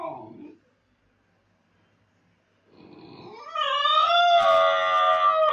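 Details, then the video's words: With its owner away, a Basenji ends one wail, falls quiet for about two seconds, then starts a low rising sound that swells into a loud, sustained, steady howl. "When Master is gone howling basenji"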